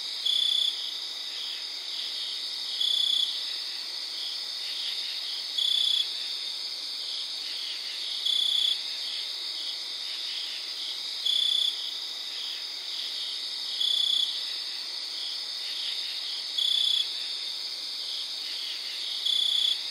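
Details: A cricket gives a bright, high chirp about every three seconds over a steady chorus of distant crickets and katydids, recorded outdoors around 3 a.m. on September 4.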